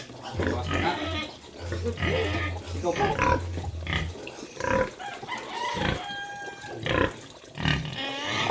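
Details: A sow being moved to another place, giving loud, harsh broadband squeals and grunts in repeated bursts, with people talking nearby and a steady low electrical hum underneath.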